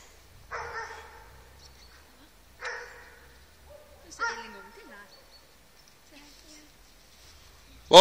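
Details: A hunting moose dog (half vorsteh, quarter shepherd, eighth Siberian husky, eighth keeshond) bay-barks, giving loud, harsh barks about every two seconds while holding moose at bay.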